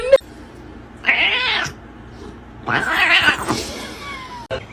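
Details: Domestic cat giving two loud, strained, wavering meows about two seconds apart, with a short high whine near the end and a person speaking nearby.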